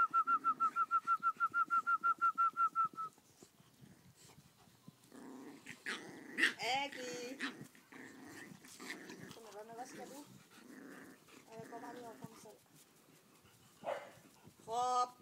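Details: English Bulldog puppies nursing, giving short harmonic whining squeaks in scattered bursts, after an opening run of rapid, evenly spaced high tonal beeps; soft voices and rustling underneath.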